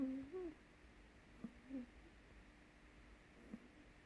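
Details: An 8-week-old blue Staffordshire Bull Terrier puppy gives a few soft, low grunting whines with small clicks between them.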